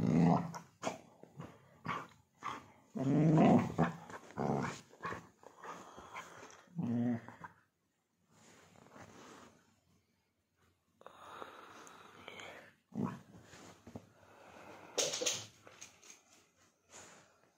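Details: Labrador Retriever at play with dense, throaty growling and snuffling for the first seven seconds, then softer, broken grumbles and rustling, with a faint voice in the background.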